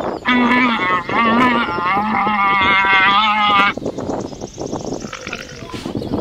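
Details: Llama (Lama glama), a domesticated South American camelid, giving four loud, wavering, nasal calls rich in overtones. They run back to back over about three and a half seconds, each slightly bending in pitch, then fade into quieter rustling and background noise.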